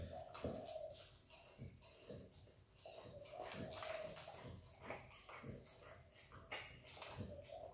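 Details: Wet licking and smacking from Izzy, a happy Australian Kelpie x Border Collie puppy eating peanut butter; loose bursts of sticky mouth clicks repeat unevenly, with a low tonal hum in the room behind them.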